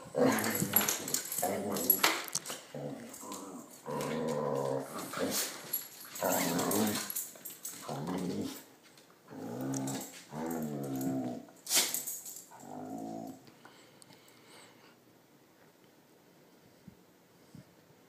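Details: Max, a seemingly confused pet dog, and Princess, who sometimes does not like him: dense, rattling growls in quick bursts for about thirteen seconds before fading into near silence.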